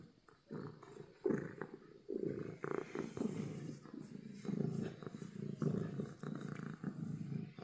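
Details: Domestic cat purring from happiness, a strong, rough rumble swelling on each breath with brief dips between cycles, loud and continuous, plus occasional light taps.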